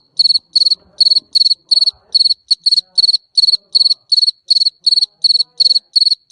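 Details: Garden cricket chirping steadily, bright high pulsed chirps in quick bursts of two or three, roughly 167 per minute, with no other clear sounds.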